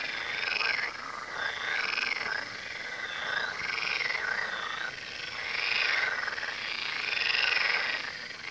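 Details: Frog chorus beside the Tywa river, many animals croaking at once in pulsing, rattly bursts that rise and fall roughly every second, steady throughout.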